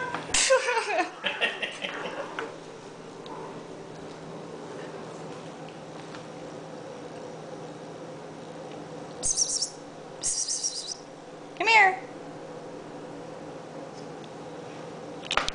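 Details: Two pet cats named Honey and Lowell fighting, as they do daily: a harsh, wavering cry opens, then a long quiet stretch with a low steady hum, two short breathy hiss-like bursts, and one brief rising-then-falling squeal near the end.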